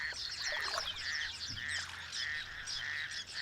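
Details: Raucous toad calling openly by day near Cape Town, courting where most frogs romance in the dark: harsh pulsed croaks repeated in rapid series, with squeaky chirps of other small calls layered above.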